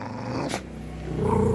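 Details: Pet dog, presented as a talking dog, giving a short low growling vocalization that rises into a whiny, voice-like tone at the end, preceded by a brief noisy burst, indoors.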